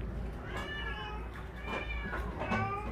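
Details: Shelter cats at a rescue centre in Ulsan, South Korea, fed fish after being housed together: several overlapping arched meows against a loud, steady background hum and room noise.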